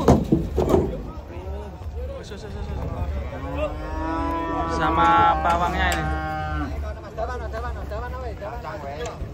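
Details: Several giant cattle unloading from a truck. Scattered short grunts lead into a sustained deep moo of a couple of seconds, then brief bleating lows. An idling engine rumbles underneath throughout.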